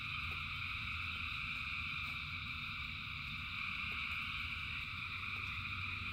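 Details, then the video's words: Thousands of frogs singing in rain, a dense unbroken chorus of trilling in stacked high bands, with rain hiss and low rumble underneath and occasional sharp drip clicks. "Frogs in Rain 2 Hours of Frogs, Thousands of Frogs Singing"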